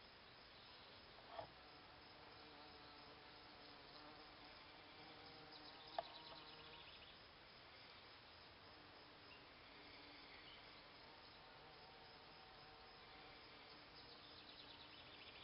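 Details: Around flower beds at a cabin, bees buzz in Solomon's seal; a continuous low insect hum with faint steady tones persists throughout, broken by two sharp clicks.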